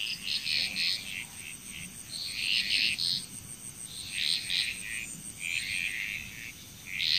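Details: Frog chorus in Bali, Indonesia: irregular bursts of rapid, rattling pulsed calls from several frogs, overlapping and fading in and out, over a steady thin high-pitched insect whine.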